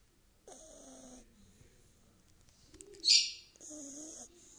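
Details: Dog snoring: two drawn-out, wheezy, whistling snores about three seconds apart, each lasting under a second. A short sharp hissing breath comes between them in a quiet room.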